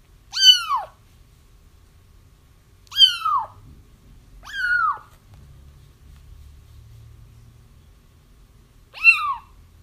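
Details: Kittens crying, played to lure a feral mother cat into a trap after her kittens were found: four high, harmonic-rich, falling cries spaced irregularly over ten seconds, quiet room in between.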